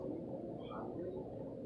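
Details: A female pug asleep snores with a rough, rattling rasp that drones on steadily.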